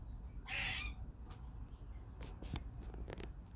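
A squirrel gives one harsh, bird-like squeak lasting about half a second, followed by a few faint ticks over a steady low rumble.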